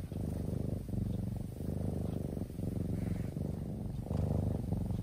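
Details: Deeply sleeping kitten gives a soft, continuous low purr, pulsing in long inhale and exhale phases of roughly a second each, with small dips between breaths and no other sounds.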